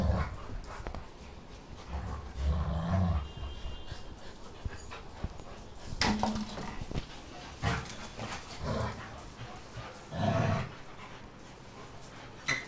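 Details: A female Labrador Retriever in a dog fight gives deep, throaty growls and short snarling bursts that flare up every few seconds, with scuffling noises and quieter rumbles between outbursts.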